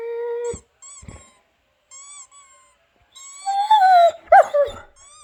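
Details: Albert the dog answers squeaking sounds with a clear held tone, a pause, then a rising, wavering whine and sharp yip over repeated high squeaks.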